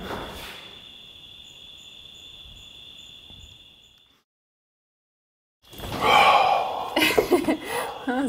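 Crickets trill steadily at night in a high, continuous ringing tone, followed by a sigh and laughter.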